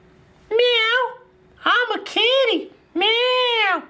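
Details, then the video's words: Domestic cat, described as very cute, meowing indoors: three drawn-out, strongly harmonic meows, each rising then falling, with short gaps between them, plus a faint background hum. "Kucing Paling Comel Sepanjang Zaman!!!"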